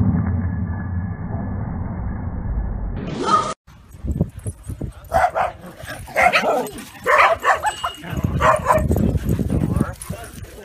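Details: Welsh Corgi puppies stampeding and playing with a ball let out short, high yips and barks in quick bursts.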